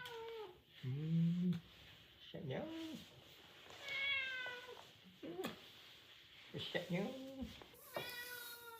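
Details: Cat attacking its owner indoors, giving a series of drawn-out meows with wavering, rising-and-falling pitch, about seven calls across nine seconds, with quiet human speech in the background.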